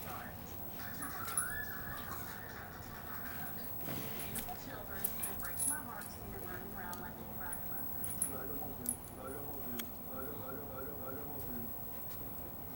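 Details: A female Siberian Husky "talks" in warbling, wavering yowls that rise and fall almost like speech.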